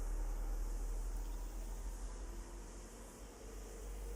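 A steady low hum and rumble like a fan or engine, with no animal voice heard.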